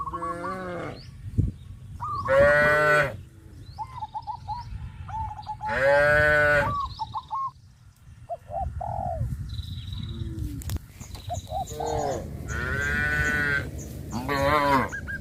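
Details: Cattle on their way to green grass pastures low repeatedly: four or five drawn-out, rich moos spaced a few seconds apart, mixed with short rising peeps and chirps of birds between the calls.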